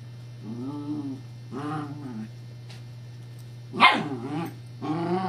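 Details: Scottish Terrier Evangeline playing with a teething pacifier toy: mostly low harmonic growling grumbles in drawn-out bursts, broken by one sharp bark near the end, with a steady hum behind.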